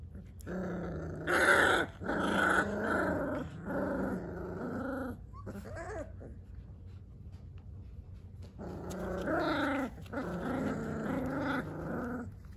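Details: Three-week-old Dogo Argentino puppies indoors: bursts of harmonic, rasping growls lasting a few seconds each, a brief pause, then another long run of throaty growling with a faint background hum.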